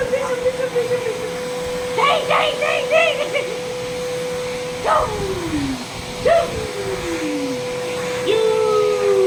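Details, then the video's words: Leo, a working-line double-coat male German Shepherd, reacts indoors to a running vacuum cleaner with short bursts of yelping around two seconds in, then two long howls sliding downward, over the machine's steady hum. "Leo Reacts To Vacuum Cleaner"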